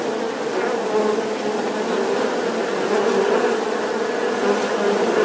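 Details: A bee makes a steady, continuous low buzzing drone with a dense hum and no breaks, holding an even loudness throughout.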